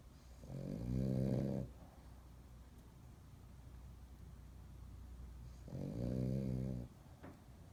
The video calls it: French Bulldog Super Snore